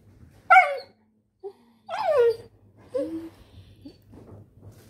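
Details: Labrador Retriever puppy indoors, letting out a sharp high bark, a short squeak, then a longer yelping bark falling in pitch, followed by softer whimpers and grunts over a low room hum; laughter follows.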